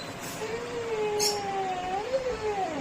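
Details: Pet Labrador Retriever at home in Arakkonam howling back while scolded by its owner for opening a water tap; long wavering tonal howl, sliding gently and rising near the end, with a brief background click.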